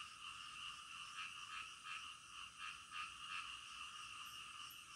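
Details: Midnight frog calls: rapid rasping croaks pulsing quickly and somewhat irregularly, layered over a bright constant buzzing background.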